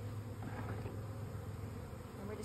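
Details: Honey bees humming in a steady, low drone that holds an even pitch throughout, with no other clear sounds.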